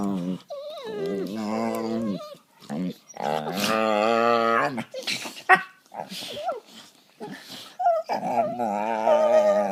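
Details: Two pet dogs play fighting on a couch, gnawing at each other; near-continuous tonal growls and yowling moans that waver and bend in pitch, broken by short gaps and quick yips.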